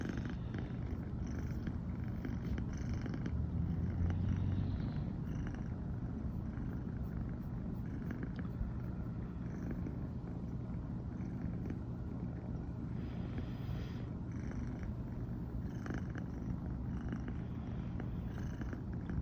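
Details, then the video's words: Morning purring of a female American Shorthair cat, brown tabby, after sleeping with her owner for the first time; low continuous rumbling pulses throughout, with occasional soft movement noises. "初めて一緒に寝たら、朝からゴロゴロが止まらなくなりました笑。【Cat rumbling sound】"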